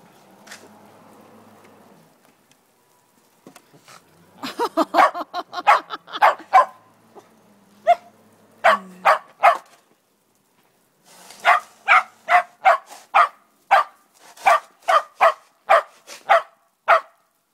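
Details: Male Shetland Sheepdog outdoors that won't leave the path while snow is shoveled, growing mad when the shovel bumps him: a quiet start, then bursts of sharp barks, then about a dozen evenly spaced barks, roughly two per second.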